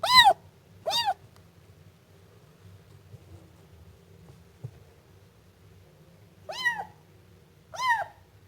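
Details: Siamese kitten meowing: four loud, high, arching meows with rich harmonics, two close together at the start and two near the end, separated by a long quiet stretch with a faint low hum.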